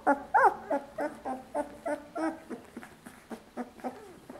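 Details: One two-week-old puppy at Lucy's milk bar cries in a steady series of short, tonal yelping whimpers, about three to four per second, each a brief bent note, gradually softening toward the end.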